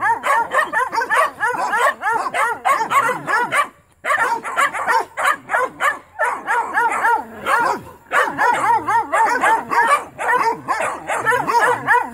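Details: Several Mountain Cur pups keep up dense, excited barking at a young raccoon caught in a trap during training. Yappy barks overlap almost without pause, with two brief gaps near four and six seconds.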